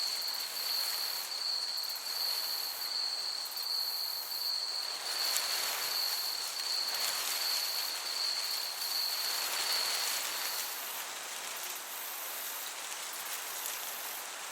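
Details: Summer meadow crickets give a continuous high, finely pulsed chirping trill for the first two thirds, then it drops away, leaving only the even rushing hiss of a gentle breeze.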